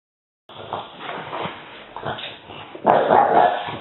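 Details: Female French Bulldog puppy showing her teeth in a mock-vicious display: rough, throaty grumbling growls rising and falling for about three seconds, ending in a louder, harsher burst.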